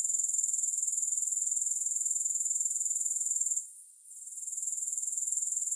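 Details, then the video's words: Grasshoppers give an unbroken, high, rasping trill pulsed about four times per second. It fades sharply for half a second past the midpoint, then resumes. Only the insect sound is present. "3 Hours of Grass Hopper Sounds"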